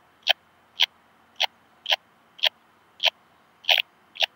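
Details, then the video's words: Metrioptera saussuriana, purple meadow bush-cricket, Muhrtal, Austria, 9 October 2020, through a Pettersson D 100 ultrasound detector: eight loud, dry clicking pulses about two per second, each a brief rasp, over quiet background. "Metrioptera saussuriana -- Gebirgs-Beißschrecke -- Purple Meadow Bush-cricket"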